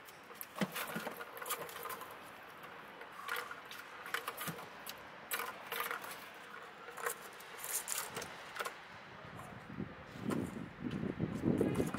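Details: Jangling, clattering and rustling handling noises in a quiet room, with scattered clicks and a low rumble near the end; no animal voice is heard.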